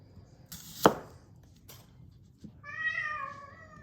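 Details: Pet cat's short, slightly descending meow near the end, following a sharp knock and a quiet pause during carrot cutting with a kitchen knife.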